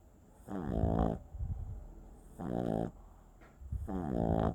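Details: Boston Terrier puppy asleep and snoring: three drawn-out, harmonic, rasping snores about every 1.7 seconds, each lasting under a second, with softer wheezy breaths between them.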